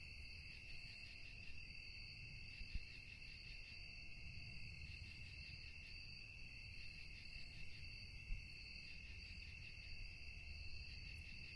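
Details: Crickets calling at night: a steady, unbroken high ringing trill layered in several pitches, with a faint pulsing texture, over a constant low rumble of background noise and a couple of soft thumps.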